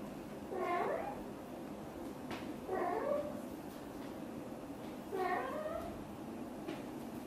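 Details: Mother British Shorthair cat, blue golden, indoors talking to her kittens: three short harmonic meows, each rising then falling, spaced about two seconds apart, in a quiet room.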